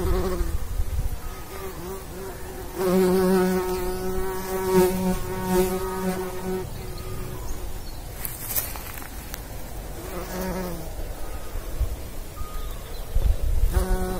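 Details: Bumblebee pollinating, one of the pollinating insects with bees: a steady low droning hum with rich overtones swells for about three seconds, then returns in shorter passes as it moves, over a soft outdoor rumble.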